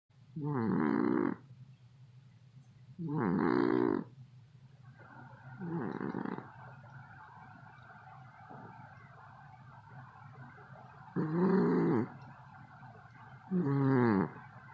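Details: Snoring of a cat: loud, rough, harmonic snores lasting about a second each, irregularly spaced every two to five seconds, with a steady low hum and faint background noise between breaths.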